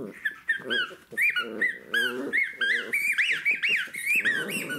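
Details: Playful Jack Russell Terrier puppy busy with its toys, a steady mix of rasping growls and sharp rising-and-falling squeaks, with hardly any pause across the few seconds.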